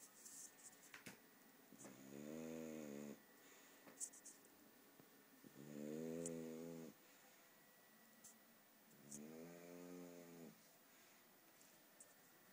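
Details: Snoring English bulldog named Polo, three long buzzy snores, each about a second, spaced roughly three and a half seconds apart, steady and rhythmic, in a quiet indoor room with soft ticking background sounds.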